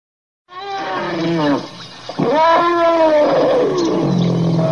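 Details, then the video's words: Elephant trumpeting: after a brief silence, a loud, harmonic, wavering call with tones sliding downward, a short dip, then a second long bellow that rises, holds, and sinks into lower, rougher moaning tones. "TIẾNG VOI RỐNG ĐÁNG YÊU"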